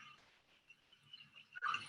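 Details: Orcas in Puget Sound, Washington, communicating underwater, with faint, wavering tonal calls that end in a louder, squealing burst before ship noise moves into the area.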